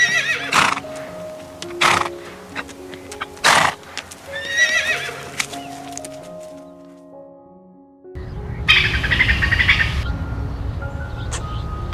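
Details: A horse whinnies in quavering, high-pitched bursts over steady background music.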